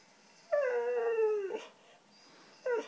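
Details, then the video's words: A white female Siberian Husky, 'talking' for cheese doodles, gives one clear sustained howl about a second long, gently falling in pitch, then a short rising yip at the end. "Husky Talking"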